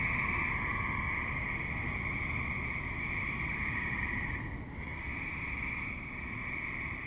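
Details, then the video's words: Suburban tree frogs calling at dusk into night: an unbroken, shimmering buzz of many callers that briefly dips midway, then swells again, backed by low traffic-like rumble throughout. "Tree Frogs - Dusk / Night - Suburban"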